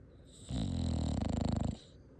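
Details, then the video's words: A dog gives a single long, low snore that rattles and pulses for just over a second before stopping. "Dog snoring"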